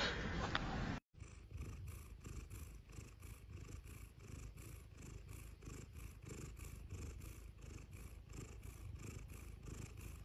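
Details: After a short burst of other noise at the start, a cat purrs softly and steadily. The low rumble pulses in even cycles of about four per second.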